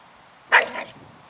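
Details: Shiba Inu giving a single short, loud bark that fades into a brief trailing echo, heard against a quiet background.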